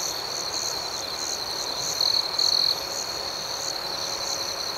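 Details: Crickets chirping after dark, an even shrill trill with gently pulsing higher chirps, broken by two brief louder bursts midway.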